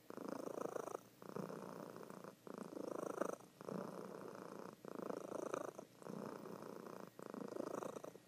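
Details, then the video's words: Sleeping female cat giving a loud indoor purr, a coarse buzzing rumble that swells and stops in regular breath-long pulses, about seven cycles with short quiet gaps. "Sleeping Cat Purring"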